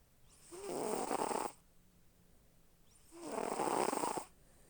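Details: Pet cat snoring in its sleep, two long, hoarse, airy breaths roughly three seconds apart, each lasting about a second, with near silence between them.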